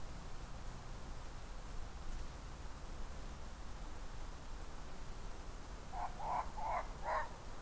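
A red fox gives a quick run of four hoarse, yapping barks near the end.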